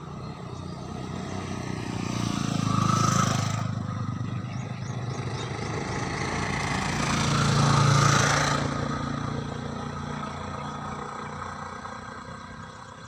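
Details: Bumblebees around their hive built in an ant hill: two loud, low humming passes rise and fall, one near the start and one midway, over a steady background drone and a few faint high chirps.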